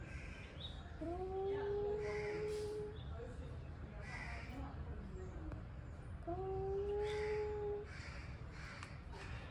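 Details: Angry male cats before a fight: two long, steady, slightly rising moaning howls, each about two seconds, separated by a pause, over a low background rumble with faint cawing crows.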